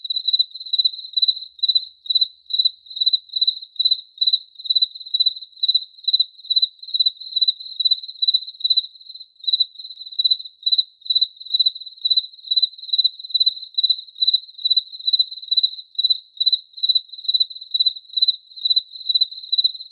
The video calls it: 1 Hour Cricket Chirping Sounds